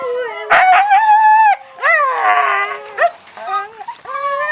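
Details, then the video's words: Siberian Husky puppies at feeding time: loud, drawn-out whines and yelping howls that slide up and down, several overlapping voices with a sharp yelp near the start, then short rising whimpers. "щенки хаски+звук"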